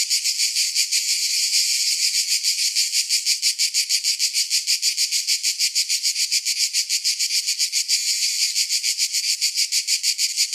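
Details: Steady high-pitched cicada chirping, a harsh buzzy rattle made of rapid even pulses, roughly three per second, that stays constant in loudness from start to finish.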